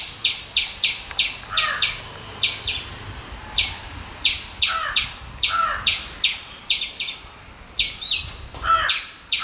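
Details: Squirrel chattering in quick runs of sharp chips, bunched in bursts of two to four, with a few lower, softer notes mixed in and faint background noise.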